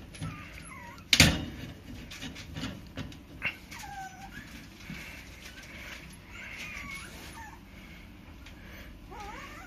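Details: Female Yorkshire terrier puppy giving thin, high whines that bend up and down, several short curving cries in a row with pauses between, over faint room noise and an occasional knock.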